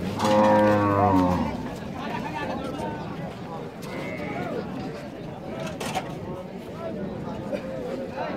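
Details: Cow at the Rajshahi City Haat cattle market. A single low, droning moo opens, lasting about a second and a half, then fades into steady market chatter and crowd noise.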